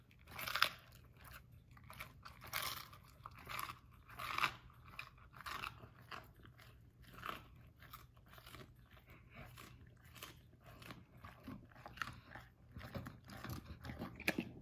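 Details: A male Basset Hound, offered romaine lettuce by his owner, munches it with wet, crunchy snaps repeated every second or so.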